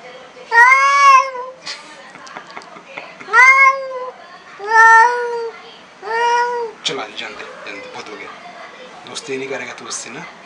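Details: An extremely angry black cat meeting a new cat for the first time, with four drawn-out, rising-then-falling yowls about a second apart, followed by scuffling noises and shorter, rougher cries indoors.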